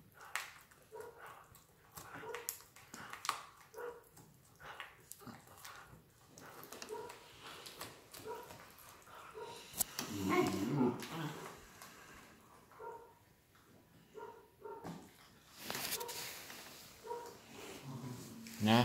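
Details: Collie puppies of an A litter born 21 January 2018, healthy and playful, give short high whimpering yips in irregular bursts among clicking, chewing and rustling noises, with a loud scuffle near the middle.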